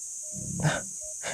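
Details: Lionesses at a carcass in the Okavango Delta, Botswana, give deep, rough breaths that turn into half-growls, arguing over which piece of the carcass to take.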